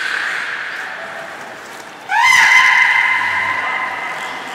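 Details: Captive beluga training at Port of Nagoya Public Aquarium, Nana and Nico session, 7 October 2018: quiet room tone, then a sudden sharp rising whistle that settles into a long, steady, richly harmonic tone fading slowly.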